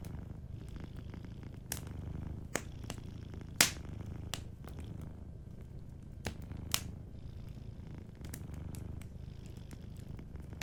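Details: Sleeping cat purring softly indoors, a steady low rumbling throb in gentle pulses, with frequent sharp crackles and pops from a fireplace scattered throughout.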